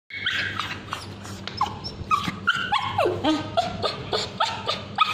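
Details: A male Bichon Frise with scabies screams in high, wavering yelps, with falling whines between bursts, while ointment is applied to his tail.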